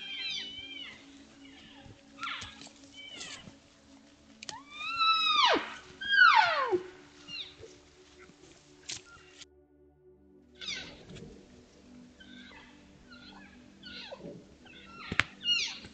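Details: Trail camera in Utah on July 17, 2022: elk cows and calves in a large herd trade high, squealing mews and chirps that slide sharply downward, talking naturally to keep in touch within the herd.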